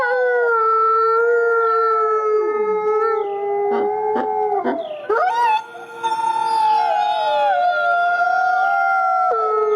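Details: Gray wolves, including a white wolf at a conservation centre, howl in a forest in a chorus of long, drawn-out notes, some holding steady while others slide up or down; a brief break midway gives way to renewed, layered howling.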